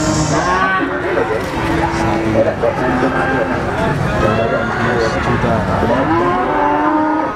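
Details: Black Pegon cattle at the cattle market in Blitar, East Java, give long, low, droning moos, some bending upward at the end, against constant crowd noise and voices.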